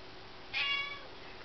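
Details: A pet cat meows once, a brief tonal mew with stacked harmonics, louder at onset and fading after half a second, against faint room noise.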